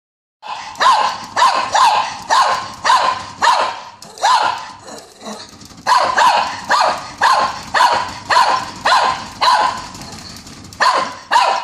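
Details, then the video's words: Naughty dogs barking in a steady rapid series, sharp loud barks repeating almost twice a second, with a short break midway and a few softer growly barks before the series resumes. "Dog barking"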